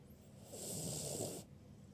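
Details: Birdie, a ruby Cavalier King Charles Spaniel, snores in her sleep. One drawn-out, hoarse breath lasts about a second, with a hissy rasp over a low rumble, before it cuts off.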